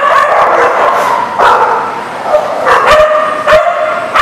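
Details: Many dogs barking together in a kennel-like setting, a dense overlapping chorus of barks and yips with sharp bursts about every second, recorded 23 December 2019.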